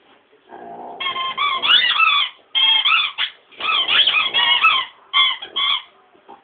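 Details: A dog howling: wavering, harmonic-rich cries in bursts of about a second, some rising and falling, separated by short pauses.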